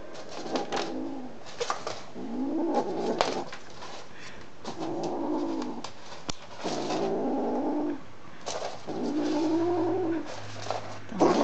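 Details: A cat busy with a sock lets out a series of long, strained, yowling meows, each lasting about a second and repeated every two seconds or so, in a small room.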